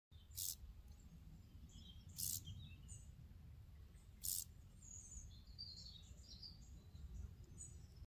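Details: A grasshopper squeezing its legs gives short, dry rasping bursts every two seconds or so over a low rumble.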